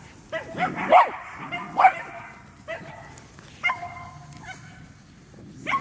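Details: Running Medium Poodle letting out a few sharp, yappy barks with pauses between them, and a person's voice murmuring underneath.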